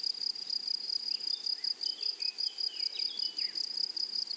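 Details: Grasshoppers in a flowery meadow produce a steady, piercing high tone with fast regular pulsing, while faint short descending chirps of a bird sound in the background.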